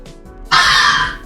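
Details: Night cry of a red fox, compared to a human scream: a single abrupt, raspy, breathy shriek held for about three quarters of a second before cutting off.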